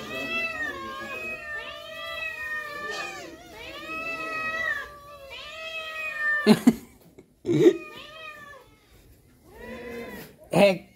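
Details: Household cats clamouring for egg treats indoors: a run of repeated wavering meows from several cats, then a few loud clatters or knocks between the last meows.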